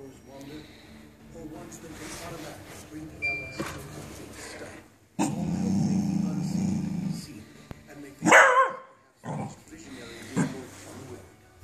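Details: A Scottish Terrier barks at an Xbox CD tray with sharp, gruff barks and low growls, with people talking in the background.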